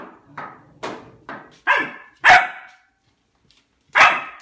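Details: Pet dog Albert demanding food at his bowl, giving a run of short barks that grow louder, about six in quick succession, with a brief silence before a final loud bark.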